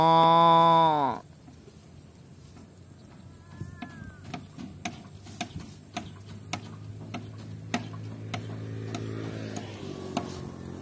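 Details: Tame cattle roaming and grazing in a rice paddy field: a loud, rich, harmonic moo opens and ends with a falling pitch, then quiet scattered clicks and a low hum, with a faint low call returning near the end.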